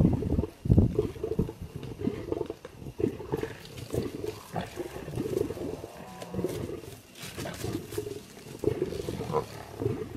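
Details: A royal tiger moving on a road in the wild: deep, rough growling roars in low pulses, rising and falling in bursts across the stretch with brief gaps, and faint outdoor background noise.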